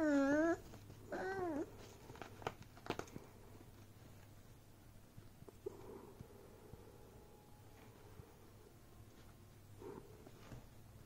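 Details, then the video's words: Beagle puppy playing with a bag gives two high, rising-then-falling whining yelps in the first two seconds. After that come faint rustles and a low steady hum. "Beagle puppy Vs Bag"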